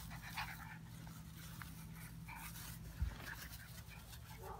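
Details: Playing puppies, one Old English and one mutt, give quiet breathy panting with short harmonic whines and scuffles; a thump near the end; a constant low electrical hum underneath.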